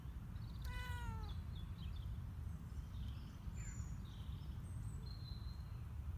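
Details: Male house cat on a leash outside, new to walking outdoors and cautious; a single clear falling meow early on, then faint high bird chirps scattered over a constant low outdoor rumble.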